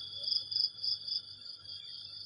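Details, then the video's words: In the dim early morning, crickets keep up a high, even, rapidly pulsing trill that swells and fades in gentle waves, with a quiet low hum underneath. "ฟังเสียงหรีดหริ่งเรไร ยามเช้าๆ"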